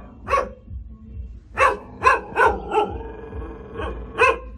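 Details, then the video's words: Caged hunting dog barking in short sharp bursts, one bark, a pause, then a quick run of five or six barks followed by two more spaced apart, over a low steady background hum. "tiếng chó sủa /con chó"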